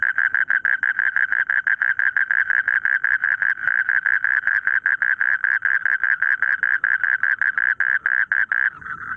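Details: A frog in rice fields calling a long, rapid series of sharp, evenly repeated pulses, about five per second, steady and loud for nearly nine seconds before stopping.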